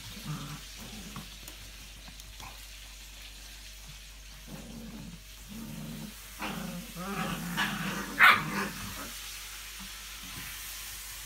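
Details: English Springer Spaniel recorded on 5 February 2017, giving quiet, low, rough bursts of barking and growling that cluster mostly in the second half, with one sharp louder sound near the end.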